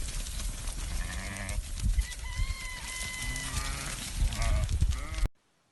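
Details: Alarday goats on a farm in Saudi Arabia, bleating in drawn-out, wavering tones, with several overlapping calls and a strong low wind rumble throughout.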